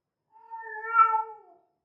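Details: Female cat in heat, possibly Persian, gives a single drawn-out harmonic meow lasting about a second, swelling in the middle then fading, in a quiet indoor setting.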